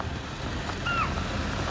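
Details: On a safari in Sanjay Dubri Tiger Reserve, Madhya Pradesh, a chital gives a single sharp, high alarm call that dips slightly at the end, over wind and engine rumble; moments later a tigress appeared.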